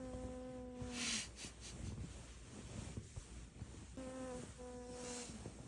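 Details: Elderly Maltese dog with dementia, asleep indoors, snoring: steady hummed tones with a nasal whistle, in two long drawn breaths separated by softer breathing noise and room hiss.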